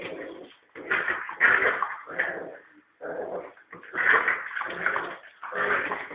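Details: Male Norfolk terrier pup of roughly three and a half months, playing fiercely with a ball on a rope as if it were a rat; loud raspy growls and snarls in about six irregular bursts, separated by short silences.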